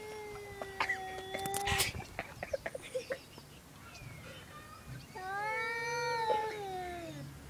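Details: Strange noises from two domestic cats: a level, moaning yowl, then a run of quick clicks and knocks, then a second long yowl that rises slightly and sags downward at its end.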